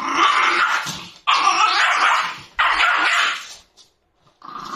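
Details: Food-guarding Shiba Inu giving three loud, harsh, broad snarling growls of about a second each, separated by short breaks, then a fainter fourth burst.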